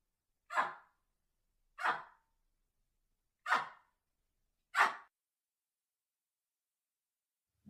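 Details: Baboon calling: four sharp, harsh barks, each brief and broad in tone, spaced about one to one and a half seconds apart, followed by quiet with a faint low sound starting at the very end.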